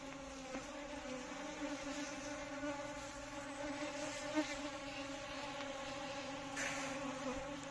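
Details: Buzzing of Asian honey bees, Apis cerana indica: an unbroken, even drone with a rich, layered hum, a few soft knocks and a brief hiss near the end.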